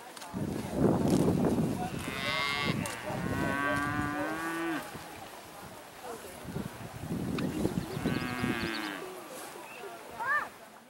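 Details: Dairy cattle let out on pasture for the first time in spring, mooing loudly; several long low moos with rich harmonics, some rising and bending, amid running, jumping and munching noises on the farm.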